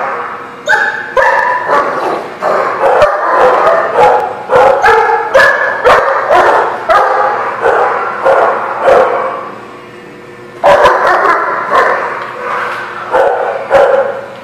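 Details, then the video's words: Several dogs barking at a kennel or dog lot, sharp overlapping barks and yips in rapid succession with a short lull before a fresh burst near the end. "The Barking Lot"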